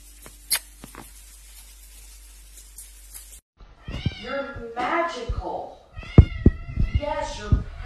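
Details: Kittens meowing: a quiet first half with a few sharp clicks, then from midway a run of overlapping high, wavering meows with rich harmonics, rising and falling in quick succession, mixed with other close, busy sounds.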